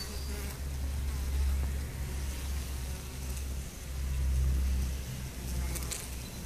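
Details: Steady low buzzing of honey bees from a colony with chronic bee paralysis, the deep hum swelling and fading in loudness twice, faint high chirps near the end.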